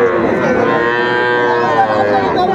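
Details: One long, even moo carries through the whole stretch from a young bull or heifer calf at a Manikganj cattle market, Bangladesh, 1 September 2024, with faint bustle from the crowd underneath.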